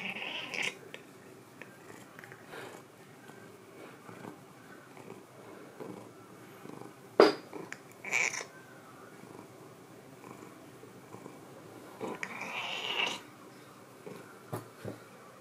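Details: Thirteen-year-old pet cat reacting after being scared off by a keyboard indoors: a few short, harsh, strained cries spaced several seconds apart, with a sharp click midway and a quiet room in between.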